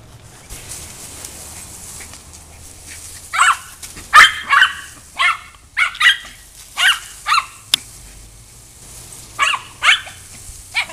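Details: Coco, a fast female pet dog, chases and tries to catch water from a hose while grass is watered on a hot day. Sharp, high yipping barks come in quick bursts of two or three, about ten in all, over a low steady hum.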